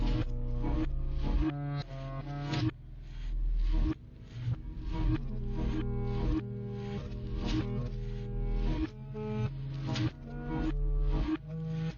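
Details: Rhythmic instrumental music fills the recording, with no animal sounds audible.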